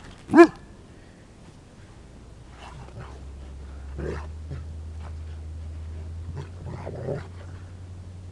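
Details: Pet dog wrestling and playing with its owner: one sharp, loud bark at the start, then a long low rumbling growl with a few short throaty grunts and huffs scattered over it.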